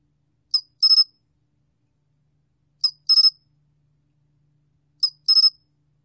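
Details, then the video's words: Pine cricket repeating its high, buzzy call in a clean, quiet recording: one short pulse followed by a quick group of three pulses, the phrase recurring about every two and a quarter seconds. "솔귀뚜라미, 여러번 듣기, 곤충소리"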